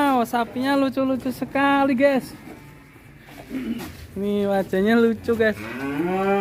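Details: Cattle raging in a pen at Duta Farm 61 in Kuningan, West Java, Indonesia, giving a series of short, forceful moos in two bursts separated by a quieter pause, each call harsh and strongly voiced.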